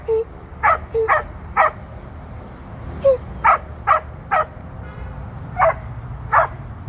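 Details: Female Border Collie during a sheep herding run with a trainer, in hunt mode and eager to bite a sheep; short high yelping whimpers in quick clusters of two or three, repeated over several seconds, with faint outdoor background.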